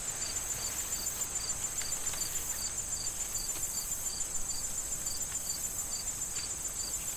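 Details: Crickets chirping in a corn field in autumn before harvest, wind rustling the corn stalks; short high chirps repeat steadily, about two to three a second, over a continuous shrill high buzz and soft rustling.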